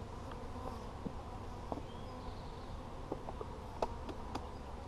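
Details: Dense honey bee drone from a hive being inspected on 17 July 2020: a continuous low buzzing hum with a few faint rising whines and scattered clicks from frames being moved.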